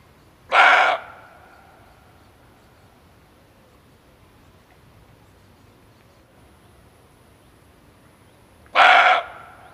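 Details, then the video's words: Barking deer, a male, in a call used as a hunting lure: one short, hoarse bark, then a long quiet pause of roughly eight seconds before a second matching bark. "Suara Kijang Jantan"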